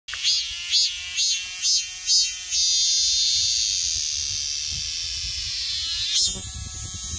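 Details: Minmin cicada screaming: five short pulsed bursts of high shrill buzzing in the first two and a half seconds, then a steady unbroken droning scream with stacked ringing tones, a brief surge near the end.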